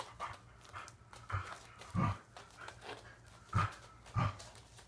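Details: Corgi dog during an indoor training session in a small room, soft panting and breathy vocal bursts repeated roughly every half second to second, with faint background hum.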